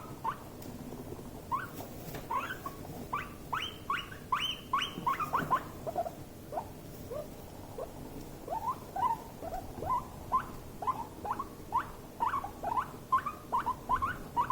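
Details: Two guinea pigs in a stressful, escalating clash: one gives sharp, rising stress squeaks over and over, roughly two a second, some louder and higher, over faint scuffling patter.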